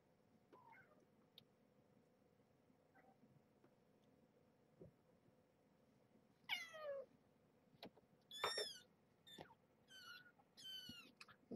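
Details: Seventeen-day-old kittens of a litter of five at Purrfect Pals, woken from sleep-nursing naps for weighing, give thin, high, wavering mews in quick bursts after a quiet start, several overlapping, in a small indoor room.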